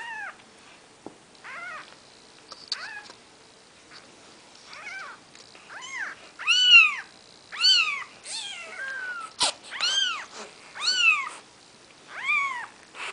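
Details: Maine Coon kittens on their fourth day of life, mother Nikita with the litter called the seven dwarfs; thin high mews come irregularly, then build into loud overlapping arched cries from several kittens, with a few soft knocks.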